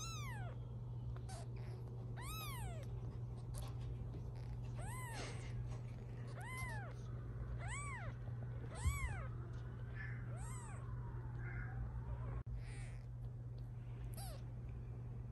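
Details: Sixteen-day-old British Shorthair kittens, five siblings of mixed colours born to a black mother cat, give a run of clear arched mews about every second, one longer wavering cry near the end, over a constant low hum.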